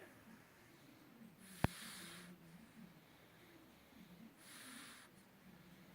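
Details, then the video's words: Sleeping pug snoring softly: two breathy, hissing inhalations about three seconds apart, with a single sharp click between them over a low, steady hum. "Pug snoring"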